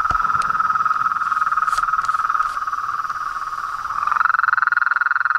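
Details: Continuous mid-pitched pulsing chorus of frogs, toads and tree frogs, with a few sharp clicks early on; the trill grows louder and more strongly pulsed toward the end.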